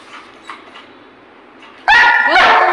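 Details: Pet Labrador Retriever Goku, coaxed to play with a toy, stays quiet with faint voices, then gives one or two loud ringing barks at the end.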